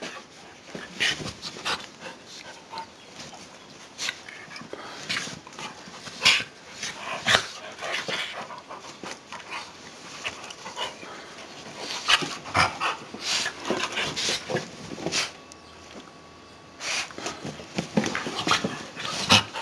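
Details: An 8-year-old Basenji plays roughly with an 8-year-old short-haired Border Collie, panting, huffing and giving small whimpering noises amid quick scuffling bursts.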